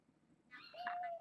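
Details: Six young domestic kittens born August 29th, four females and two males, being raised indoors; one short thin meow holding a steady pitch for under a second, with faint rustling beneath.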